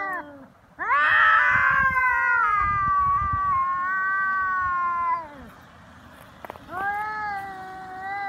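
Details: Japanese feral cats in a real fight on Cat Day, threats escalating toward bites and cat punches. A loud, strained yowl rises sharply, holds for four seconds, then drops away. A brief click follows, and a new wail begins.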